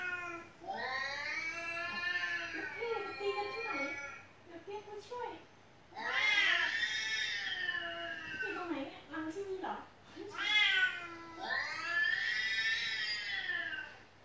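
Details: Cat at home crying without pause while cat-meow footage is played for it; four long, arched, wailing meows spaced about every three to four seconds, with quiet pauses between.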